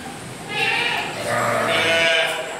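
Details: Livestock mountain goat in a Gading Serpong park garden, Indonesia, giving two overlapping drawn-out bleats, wavering and slightly hoarse, against a noisy background.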